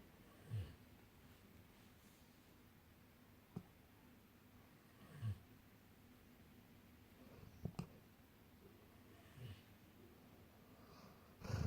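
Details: Golden retrievers asleep and dreaming indoors, snoring softly: short low rumbling breaths return about every four to five seconds over a quiet room hush.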